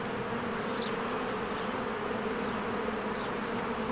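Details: Spring beehive with bees flying in and out: a continuous thick buzz layered in low tones, with a couple of brief, thin bird chirps high above the drone.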